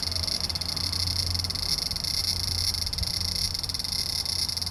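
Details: Large brown cicada in early September 2015, with fewer remaining: a constant high, hissing buzz with a slight flutter, over a low background rumble.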